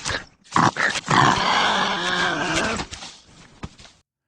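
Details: A wolverine gives a harsh, raspy growl lasting about two seconds, with a few shorter snarling bursts before and after, sounding mean, as if it would gnaw your leg off.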